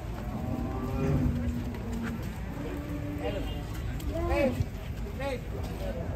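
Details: Four-year-old jumbo cow, once a ton in weight, recovered from foot-and-mouth disease, moos at a market in short arched calls near the end, partly buried under conversation and market bustle.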